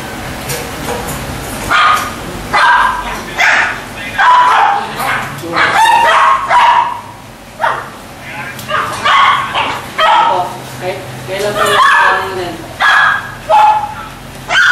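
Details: Golden Retriever barking in a series of short, harsh bursts, roughly one to two per second, some rising into higher yelping notes, with brief pauses between runs.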